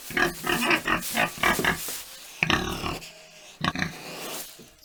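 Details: Farm pig grunting: a quick series of rough, clipped grunts, then a pause and two or three louder snorting grunts, with a faint steady hum underneath.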